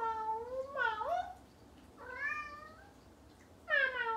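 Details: A female Bengal cat talks to a person in long, bending meows, each sliding up then down in pitch with a rich, nasal tone. Three separate calls come with short pauses between them, like chatty back-and-forth conversation.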